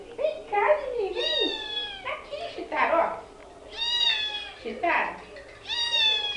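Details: Cheetara, a young female cat rescued from the streets, meows toward the camera: three clear, steady, harmonic-rich meows about a second apart, alternating with a woman calling her in Portuguese.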